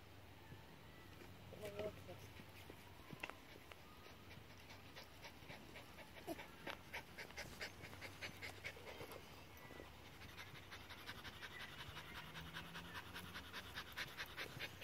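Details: Buster, a dog playing fetch in a park, pants in quick, breathy bursts that grow denser and more regular toward the end, with a brief human voice near the start and outdoor background noise.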